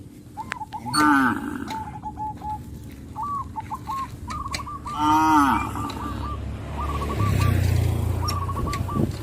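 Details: Several tame traditional village cattle in a herd calling to companions, rural countryside; deep harmonic moos around one and five seconds, with higher bird-like chirps repeating throughout and low rumbling background noise.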